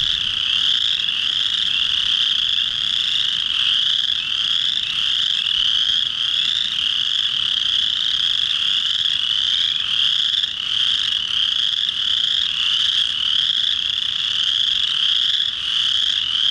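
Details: In early March, with the first warm rainy spring days, a dense chorus of male chorus frogs calling at a pond to attract females gives overlapping, rising, high-pitched pulsed trills without pause.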